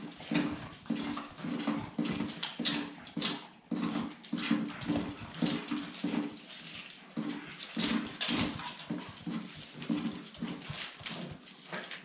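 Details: Several Staffordshire Bull Terrier puppies growl in low, rough bursts, repeated nearly twice a second, over sharp scrabbling clicks and thumps.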